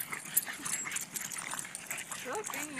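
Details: Several Boston Terriers at a dog party give short, wavering whines and yips over a busy background of voices.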